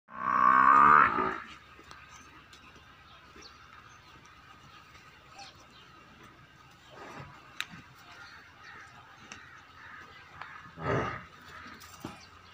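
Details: Young female buffalo offered for sale at Rana Dairy Farm, Rajanpur, giving one loud, harmonic, nasal moo of about a second and a half, followed by quiet farmyard background with a few faint clicks and a brief low rustle.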